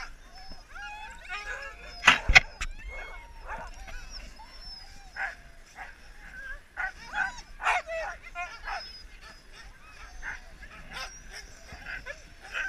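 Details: Resting sled huskies on a Lapland husky safari in Finland fill the air with excited yips, short barks and bending whines, a few sharp louder outbursts near the start, calls repeating several times a second throughout.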